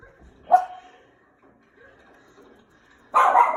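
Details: A Schnauzer barking at the TV gives a sharp, mid-pitched bark, then a louder, rougher burst near the end.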